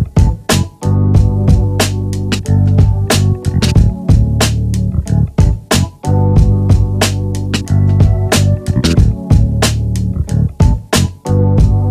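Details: Guitar and bass music with a steady drum beat, with no animal sounds.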